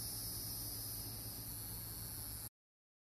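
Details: Hieroglyphic cicadas (Neocicada hieroglyphica) sing together in a steady, high, hissing buzz in Brendan T. Byrne park, New Jersey.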